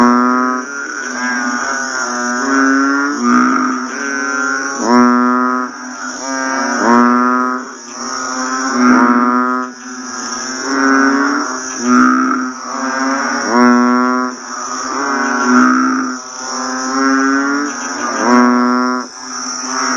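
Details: A chorus of banded bullfrogs calls just after rain, giving deep, mooing calls that overlap and repeat every couple of seconds.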